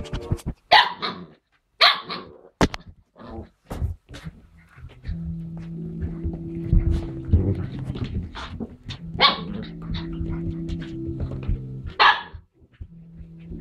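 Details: Whippet and Greyhound dogs give loud, sharp single barks in scattered bursts, with long gaps between them, while steady background music plays underneath.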